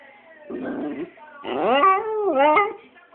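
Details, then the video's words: Jack Russell terrier, a pet dog, begging its owner to play: a whining yelp near half a second, then a long rising-and-falling harmonic whine, with a faint voice underneath. "Jack Russell making funny noise until you play with him"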